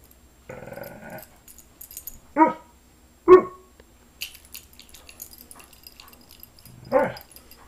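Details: Alaskan Malamute indoors, asking to be petted: a drawn-out harmonic woo lasting under a second, then short rising yelp-like calls at about 2.4 and 3.3 seconds and another at 7 seconds, with light household rustling between.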